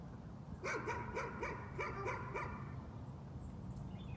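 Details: A short burst of six or seven sharp, quick dog barks, described as nuisance barking, then fading to background hum with faint distant bird notes.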